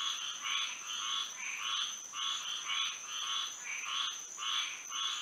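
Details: Frogs singing on a moonlit night in Florida: bursts of raspy, nasal croaks repeat roughly twice a second and overlap in a dense chorus, over a steady high-pitched whine.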